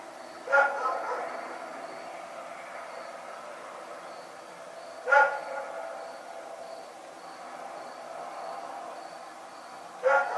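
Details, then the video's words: Barking dog at night, three short rough barks spaced about five seconds apart, with a continuous insect-like drone in the background. "Barking Nightmare"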